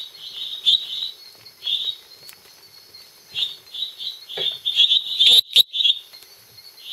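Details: A small male Dendropsophus minutus (lesser treefrog species complex) calls at night at Los Lagos, Beni, Bolivia, giving short, high, buzzy notes repeated in uneven bursts.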